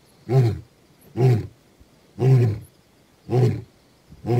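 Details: Deep rhythmic grunts from the male lion Gomondwane, 28 September 2023: five powerful low bursts about one second apart, the closing grunts of a roaring bout, over a faint background hiss.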